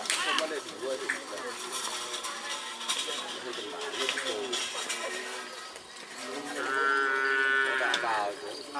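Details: Racing bulls at a karapan sapi training session at the Asemanis field, Pamekasan, Madura, East Java, Indonesia. Near the end comes a drawn-out harmonic moo, heard over the steady chatter of a crowd of people.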